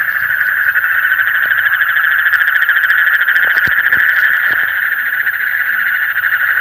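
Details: Frogs calling in the deep night: a dense, unbroken chorus of fast pulsing trills at a steady middle pitch. Faint ticking sounds come in higher up partway through.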